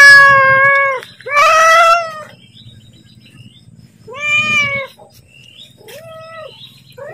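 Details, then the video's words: Domestic cat calling to ask for food as its owner prepares to feed it; loud harmonic meows, drawn-out and slightly falling, four calls spaced over about seven seconds with quiet pauses between. "Suara Kucing Memanggil / minta makan"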